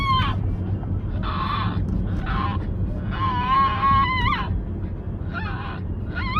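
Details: Moko, a puppy with an unusual, dinosaur-like voice, gives short wavering whine-yelps. Some are steady, some dip and rise in pitch. They come in bursts about a second apart over a constant low hum.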